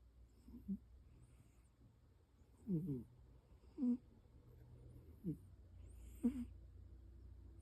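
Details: A cat snoring heavily while asleep indoors: short throaty snorts, each with a rattling buzzy edge, come at uneven gaps of one to two seconds over a faint steady low hum.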